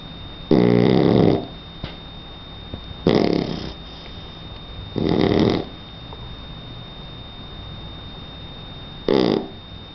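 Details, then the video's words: Sleeping Shar Pei puppy named Donna, three months old, gives heavy snores: four rough, rattling inhalations of about a second each, spaced irregularly, with soft breathing and a faint constant hum between them. "Donna Shar pei de 3 meses roncando"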